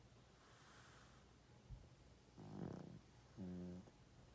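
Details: Pug, a male of 12.5 years, snoring while he sleeps. A rough, breathy inhale is followed by a shorter, humming, tonal snore, over a faint continuous low hum.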